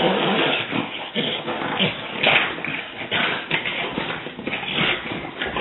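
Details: Several French Bulldogs in a rough play session, one finding it too much: harsh, noisy growling and snorting bursts, scuffling and heavy breaths running almost continuously, loud and close.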